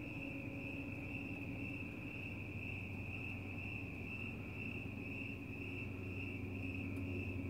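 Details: Night-time crickets chirping in the fresh air, cats close by; an unbroken, even, high-pitched trill holds steady throughout above a deep background rumble.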